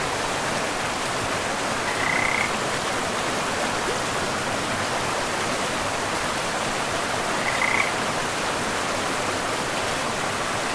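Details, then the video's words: Frogs by a river in a pristine forest, two brief high thin calls about five seconds apart, nearly buried under a steady, loud rush of flowing water. "River and Frogs sleep sounds"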